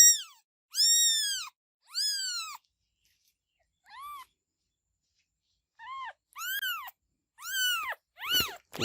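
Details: Kittens with separate high, arched meows spaced by pauses, a quiet stretch, then a quicker cluster of cries ending in sharp, harsh bursts.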